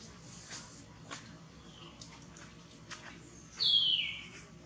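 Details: Baby monkey Cinn crying out in pain while Bertha checks its wound; after near-quiet with faint clicks, one short, shrill squeal slides downward in pitch near the end.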